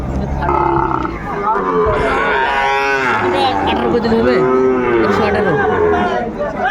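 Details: Sahiwal cattle, bull calves at a market in Dhaka on 8 May 2024, lowing with a series of drawn-out, harmonic moos that bend up and down, mixed with steady crowd chatter and market noise.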